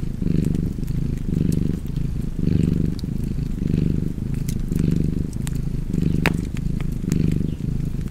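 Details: House cat purring by a crackling fire, a deep continuous rumble pulsing in slow breath-paced waves about once per second, with scattered snaps from the fireplace above the purr.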